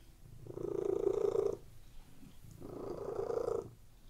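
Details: Relaxed house cat lying on a bed, purring steadily: two long rumbling swells about a second each, separated by a softer breath-in phase, in a quiet indoor room.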